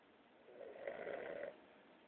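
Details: A Boston Terrier taking a mid-day nap gives a single rasping, nasal snore lasting about a second.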